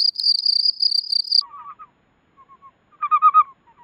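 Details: Common field cricket at Elsbethen, Austria, 24 April 2020, noise-reduced recording: a high, shrill run of rapid pulsed chirps for over a second, followed by much lower, slowed-down pulse groups with silent gaps.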